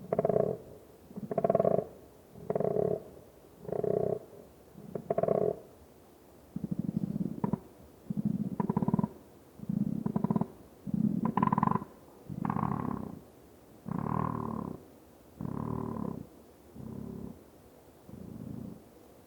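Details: A koala (Phascolarctos cinereus) in the Australian bush gives deep, rasping, snore-like grunts in a steady series of pulses.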